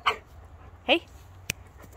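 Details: Django, a male Rhodesian Ridgeback puppy, playing in summer, gives two short, high yelping barks about a second apart, while a person gives commands and a sharp click sounds.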